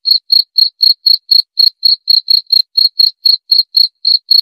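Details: Cricket chirping loudly, a sound offered for repelling rats and easing insomnia: clean high pulsed chirps, about four per second, steady and unbroken, with no other sounds.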